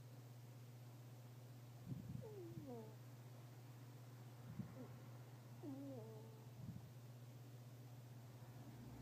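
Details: Snoring fennec fox, faint and close. Soft low breathy puffs come about every two to two and a half seconds, paired with high, whistly descending squeaks, over a constant low hum.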